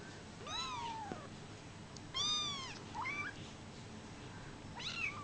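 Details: Young brown Bengal kittens at 24 days old mewing: a long falling cry, then a brighter, sharper mew and a few short rising squeaks, spaced about a second apart in a quiet room.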